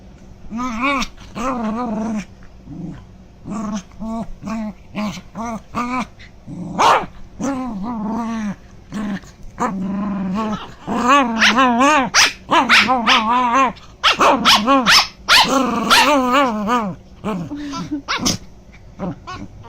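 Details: Two pet dogs staring at their owner while he eats, wanting chicken nuggets; a dog makes strange grumbling whines and moaning growls in short harmonic bursts, rising and falling, repeated in irregular runs, with some bark-like yelps.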